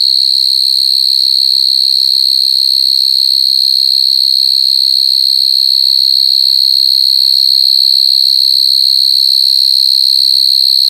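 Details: Coconut crickets crying: a loud, unbroken, shrill high-pitched tone holds perfectly steady for the whole stretch, with only faint low rumbles far beneath it.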